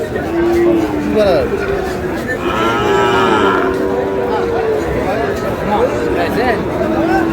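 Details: Sahiwal bulls and heifer calves at a market where a Barishal farmer is buying, 19 August: one drawn-out, arching lowing call midway through, surrounded by busy crowd noise and men haggling over prices.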